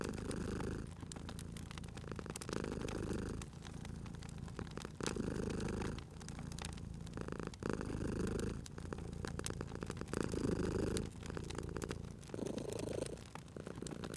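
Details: Cat purring beside a crackling fireplace in a cozy indoor setting: a low, rumbling purr swelling and easing in breath cycles about every two to three seconds, with sharp pops and snaps of burning fire throughout.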